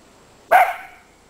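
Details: Miniature dachshund, one of two pet doxies, playing outdoors in deep winter snow: a single sharp, loud bark that cuts off quickly, with faint background hum.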